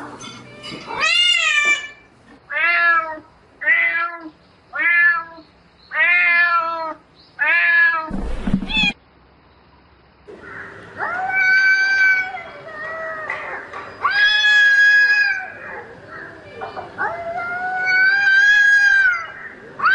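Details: Night mating calls of a domestic cat: six short, evenly spaced meows in quick succession, a brief rustle, then four longer, rising-and-falling wails, each about two seconds long.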